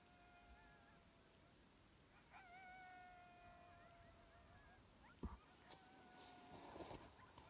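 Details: Sixteen wild timber wolves howling on a distant hillside about 700 yards off in Wrangell-St Elias National Park, southeastern Alaska, September 2018, captured by phone through a spotting scope: long, steady, overlapping howls, one slightly falling, then a sharp click.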